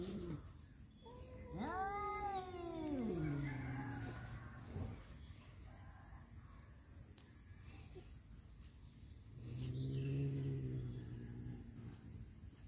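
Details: Tomcats fighting over a female: a sharp rising-then-falling screech sliding down into a low moan, quiet background, then a second low drawn-out growling yowl.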